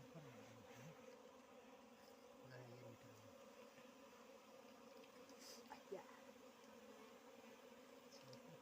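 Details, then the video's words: Low, even droning of wild bees while honey is taken from their nest in Nepal, a quiet continuous hum with faint background voices and occasional soft knocks. "बन मौरी को मह निकाल्दै"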